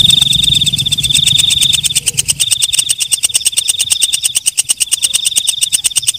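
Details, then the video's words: Walang kecek katydid calling at night: a high shrill tone with brief gaps over rapid, evenly spaced ticks, with a low rumble at the start. "Suara Walang Kecek/ Belalang Malam"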